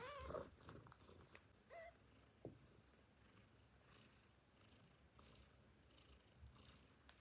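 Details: Hungry newborn kittens give a couple of thin, high mews calling for their mother, followed by soft suckling and shuffling sounds as they nurse.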